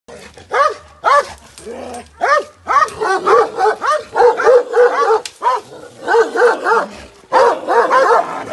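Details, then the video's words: Kangal dog at a village guest house in Bashaj, barking in quick harmonic yelps, bursts of rapid overlapping barks at roughly three per second, with short pauses between volleys. "Kangal Dog"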